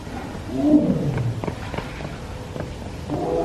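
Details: Tiger at Everland zoo in Korea crying repeatedly in the morning; one falling, harmonic moan followed by sharp clicks and knocks, then a fresh cry beginning at the end.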